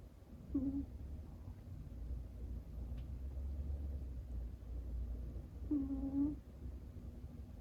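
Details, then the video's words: Sister cat asleep, burrowed against another cat's back, letting out two short nasal whistling snores, seconds apart, steady mid-pitched tones over a low indoor hum. "背中に埋まって寝る妹猫から可愛い音が聞こえてきましたCute snoring cat"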